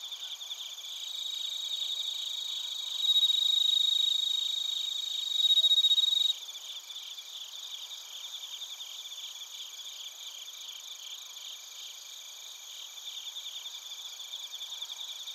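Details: Bell crickets and other crickets chirping in Narita, Chiba Prefecture, Japan, captured with a TASCAM Portacapture X8: a dense high shimmering chorus of rapid pulsed trills, with a louder clear ringing tone swelling in around the middle and then dropping away.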